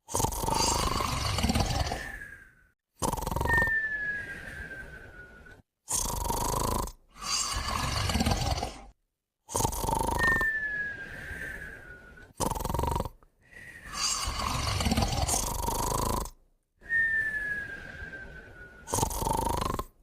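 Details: Sleeping dogs Moumou and a puppy snoring together: rough, broadband snores lasting one to three seconds, each often trailed by a thin whistle sliding gently downward, repeating with short silent gaps between breaths.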